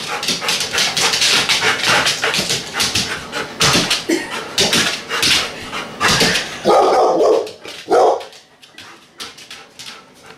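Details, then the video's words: Rhodesian Ridgeback/Labrador cross named Maple, waiting while her dinner is on the stove: a long run of rapid clicking and clattering, then two loud, short barks a second apart near the end, followed by quieter rustling. "Rhodesian Ridgeback/Labrador cross Named Maple Knows Her Dinner is on the stove"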